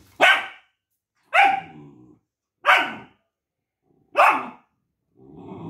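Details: Longcoat German Shepherd puppy Duke, disliking his multivitamin and talking back to his owner, gives four loud, clipped barks about a second apart, each trailing into a rough growl, ending with a low grumbling sound.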